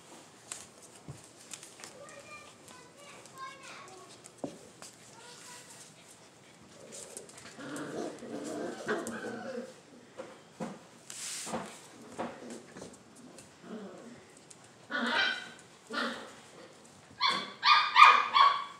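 A standard poodle gives a few sharp, high barks near the end, after quiet human talk.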